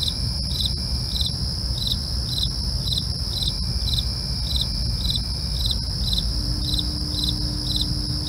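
Crickets chirp steadily at night, a rapid pulsed trill repeated evenly, over a low rumble.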